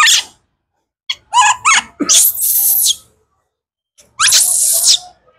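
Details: Kaka, a baby wild monkey screaming for fruit, mixes a few short tonal squeals with long, harsh, hissing screams about a second each, separated by silences.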